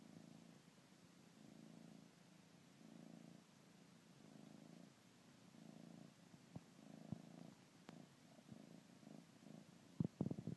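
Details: Bengal kitten purring while nursing on his blanket indoors; a steady rumbling purr in rhythmic pulses of roughly a second each, broken by soft clicks and suckling sounds toward the end.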